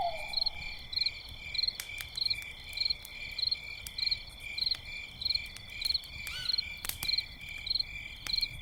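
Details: Crickets chirping at night by a campfire: crisp high pulsed chirps repeated about every two-thirds of a second, layered over steady ringing insect tones, with sharp fire crackles and a brief low whistle at the start.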